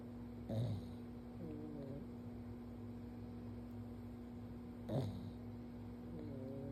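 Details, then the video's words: Sleeping on his back as his forehead is petted, Stanley the pug lets out two brief, breathy snorts about four seconds apart, with a constant low hum in the room. "Stanley’s Snoring"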